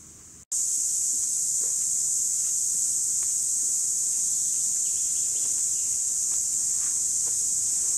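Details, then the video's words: Cicadas in 2017: after a split second of quiet, an intense, unbroken high buzz starts abruptly and holds at an even loudness to the end. "Цикады 2017 / Cicadas"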